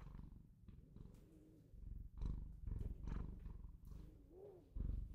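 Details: A pet Bengal cat purring: a low, rough, pulsing rumble in steady surges, swelling and easing with each breath, with a faint rising whine near the end.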